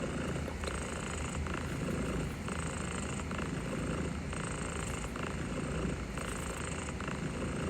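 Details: Domestic cat purring steadily while being gently petted, overwhelmed yet tolerating the attention; a continuous low rumbling purr with a dense, hissy, even background and no pauses.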